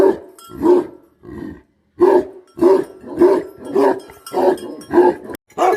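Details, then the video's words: Deep, gruff barking from a Bhote Kukur guardian dog, about ten barks in a fairly steady rhythm of roughly two per second after a brief break. "Guardian Dog Barking Sound || Best Guardian Dog || BhoteKukur"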